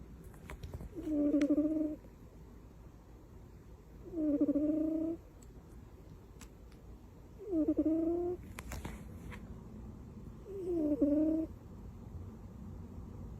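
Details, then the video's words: Butters the cat sleeping tucked in like a baby, snoring indoors: four tonal, slightly whistling snores, each under a second long, recurring about every three seconds with quiet breathing gaps between. "Cat snores and sleeps like a baby"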